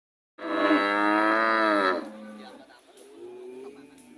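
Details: Cow giving one long, loud moo lasting about a second and a half, steady and slightly falling in pitch, then cutting off into quieter low background murmurs.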